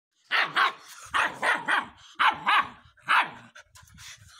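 A Rottweiler puppy gives a series of sharp, high barks in quick pairs.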